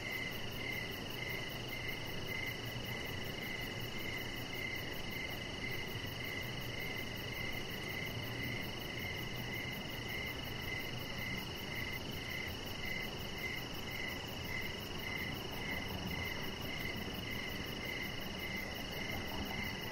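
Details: Evening cricket sounds outdoors on a deck: a long run of rapid chirps around 100 a minute, a piercing constant high trill, and a soft steady hiss throughout.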